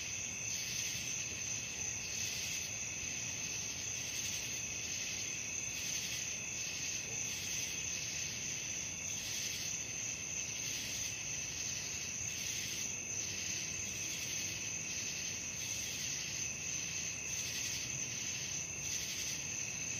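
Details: Night crickets calling: a dense, steady high-pitched chorus of shrill trills with faint rhythmic pulsing throughout, no other clear sounds.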